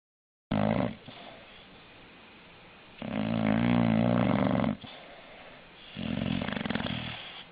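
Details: English bulldog snoring indoors, loud rattling inhalations lasting one to two seconds separated by quieter breathing, with a long strong snore in the middle and another near the end.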